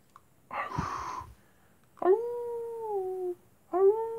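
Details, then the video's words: Wolves howling at night: a brief rough, noisy burst comes first, then two clear, pure howls that rise sharply at the onset, hold a steady pitch and sag gently at the end. "wolves at night time"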